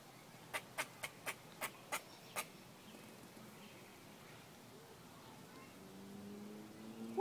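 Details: A pet squirrel, upset, sits on a homemade squirrel box and gives seven sharp, dry clicking chips in quick succession over about two seconds. Quiet follows, and a human voice comes in at the end.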